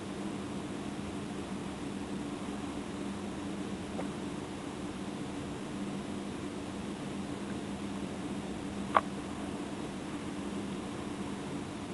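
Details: Steady fan-like hiss and hum fill a small indoor room, broken only by a single sharp click, with no animal voice.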